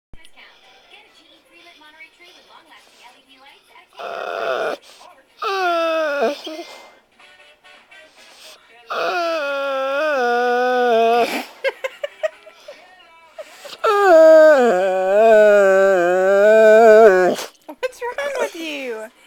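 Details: A pet dog gives drawn-out, wavering moans and howls in bursts that rise and fall like an engine revving; its owner says it is trying to impersonate a motorcycle.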